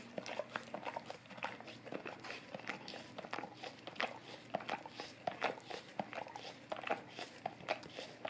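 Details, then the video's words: A Golden Retriever laps at an Orapup tongue cleaning brush, giving bursts of sloppy, wet smacks and clicks spaced under a second apart, recorded up close indoors. "Golden Retriever Licking Orapup Tongue Cleaning Brush"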